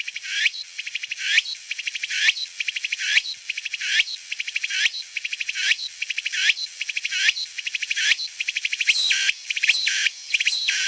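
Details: Walker's cicada (Meimuna opalifera), song.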